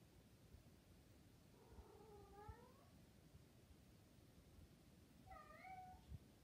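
A Maine Coon gives two drawn-out, warbling coos, each rising then falling, typical of a cat in heat.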